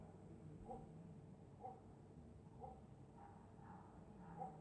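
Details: A dog asleep and snoring on a winter night in Scotland: soft, faint snores with a slight whining tone, repeating about once a second over a steady low background hum.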